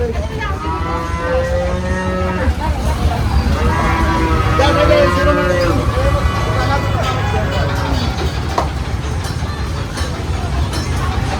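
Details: Cattle at Aotapara livestock market (haat) on 24 May 2026 give long, low, steady moos, one in the first seconds and a second around the middle, over a constant engine rumble and crowd voices.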